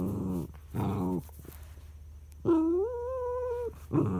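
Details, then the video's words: Pet dog Charlie, upset that his son lies on top of the treat, gives two throaty grumbling moans followed by a long, drawn-out, slightly wavering nasal whine, then another grumble starts. "Charlie the dog throwing a tantrum"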